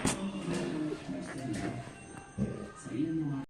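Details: Background music mixed with indistinct speech indoors, with no animal sound present.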